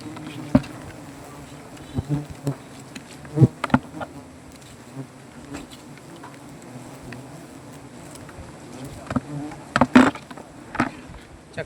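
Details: Honey bees from a native colony nesting on a banyan tree drone steadily as their comb is cut for honey: a sustained low buzz with stacked tones, punctuated by intermittent knocks and rustling from the work.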